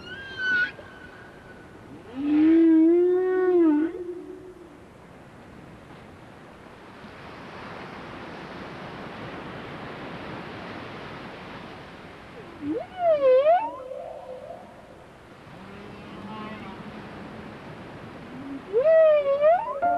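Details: Whales off Alaska, seen at close range, give a series of tonal calls. Some are rising, some arched and wavering, and several carry rich harmonics. They come in bursts several seconds apart over a steady watery hiss.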